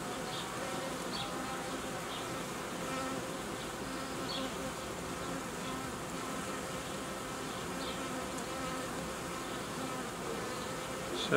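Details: Steady droning of a honey bee colony during work to unite colonies and set up young queens, the hum carrying several even tonal bands, with occasional brief high chirps in the background.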